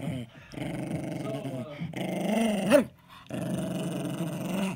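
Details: Indoors, Eddie the 10-year-old Jack Russell Terrier growls over his ball: sustained rumbling growls swell and fade in three stretches, one ending in a brief higher yelp-like rise, with short quiet gaps between.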